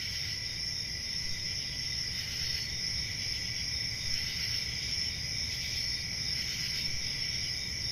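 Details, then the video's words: Crickets calling at night in a summer forest, an even, shimmering high trill that never pauses, with gentle swells in loudness and a low rumble underneath. "Relaxing Cricket Sounds For Sleep"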